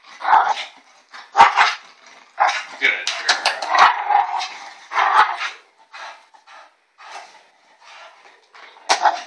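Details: Pet bulldog Elsa giving strange ewok-like vocalizations, a string of irregular throaty whines and yelping grunts of uneven length, with human speech possibly mixed in between the bursts.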